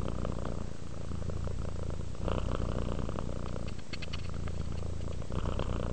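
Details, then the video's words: Purring domestic cat at rest, a dense low rumble with a brief louder surge partway through and a few faint clicks near the end. "Sleep while Purring Cat Relaxes"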